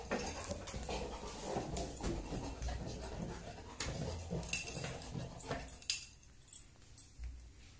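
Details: Pet Labrador Retriever receiving a gift, panting in quick breathy bursts, roughly three per second, amid rustling and handling noise, with a person's voice briefly heard.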